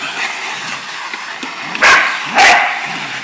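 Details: Shar Pei and Australian Cattle Dog cross pet dog barking at and attacking a running vacuum cleaner indoors; two sharp, loud barks about half a second apart over the steady roar of the vacuum.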